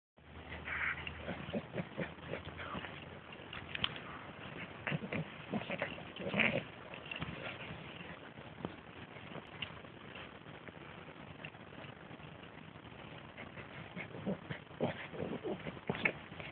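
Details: A French Bulldog, recorded 7 October 2010, makes rapid, breathy snorts and pig-like grunts in uneven bursts, sounding like wheezy laughter.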